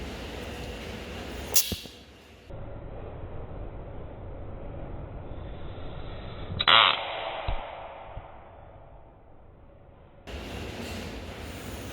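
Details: Background hiss broken by sharp whooshing swishes and a brief air-brake-like burst, with no animal call present.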